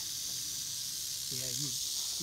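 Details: A rattlesnake in Bald Eagle State Forest gives a steady, dry high buzz without a break, rattling and coiling to strike when a man steps close, who speaks briefly over it; dry autumn conditions.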